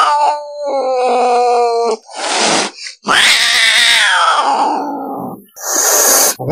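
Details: Domestic cat meowing: a steady, tonal call held for about two seconds, then harsh breathy bursts, followed by a long drawn-out meow that slides downward in pitch, and a final short noisy burst.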